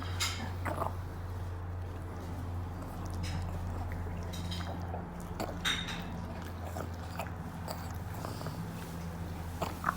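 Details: Pug chewing a treat indoors: repeated crunchy bites and sharp clicks over a steady low hum, broken by occasional snuffling breaths.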